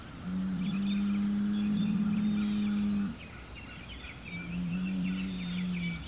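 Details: Hereford bull named Homebrew, facing south toward rival bulls across a road, June 17, 2023. One long, level, low moo of about three seconds, then a softer second moo, with songbirds twittering in the background.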